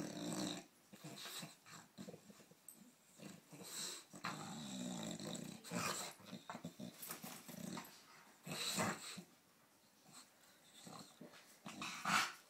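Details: Phoebe, a British Bulldog in Australia, playing with a cow in a mock disagreement: bursts of rough growls and snorting huffs come in irregular clusters, with brief quiet gaps between them.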